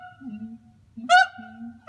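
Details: A zoo pair of siamangs, a social vocalization for pair-bonding and territory, amplified by throat sacs and audible up to 2 miles: loud honking barks with sudden starts between lower, steady droning tones.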